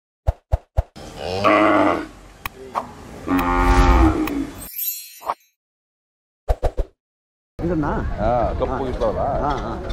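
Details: Hallikar breed bulls of the Chintamani variety at Ghati jatre 2023 give a deep, drawn-out moo with stacked low harmonics, broken by sharp clicks, short silences and busy crowd noise.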